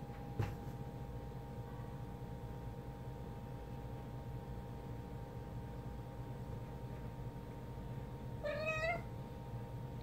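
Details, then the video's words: A hyper kitten that wants to play fetch gives a single short rising meow near the end, after a quiet stretch with a steady low hum and one sharp knock at the start. "Kitten Playing Fetch"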